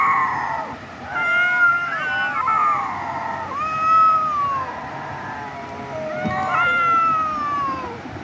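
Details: Fighting domestic cats trade sustained wavering meows and yowls, pitch bending and falling in long drawn notes, one caller answering another in repeated swelling cries.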